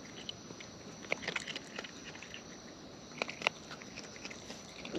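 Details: Wild raccoons feed at close range: bursts of wet crunching and clicking chews come in short clusters with quiet gaps between, set against a constant thin high-pitched hum.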